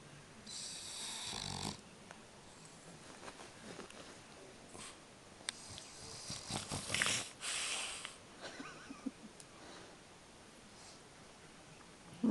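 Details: French Bulldog asleep, snoring in uneven rasping, wheezy bursts of breath, some long and loud, others short snorts, with quiet gaps between and faint room noise.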